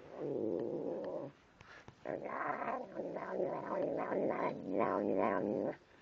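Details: Growling, murmuring vocalisations from Tim the cat as he eats, two long harmonic bursts separated by a short pause, with brief higher wavering tones on top.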